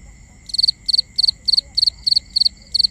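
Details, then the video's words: Crickets calling at night in a binaural nighttime ambience: high, bright chirps in quick three-pulse bursts, repeated about every third of a second, over steady thin insect tones. "Cricket Conversations | Binaural Nighttime Ambience"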